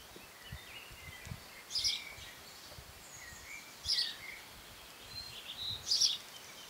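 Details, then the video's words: June 2015 squeaking of Cerambyx scopolii longhorn beetles: three rasping high-pitched bursts roughly every two seconds, with faint distant bird notes and some low rumble underneath. "Longhorn beetles (Cerambycidae - Cerambyx scopolii) 'squeaking'"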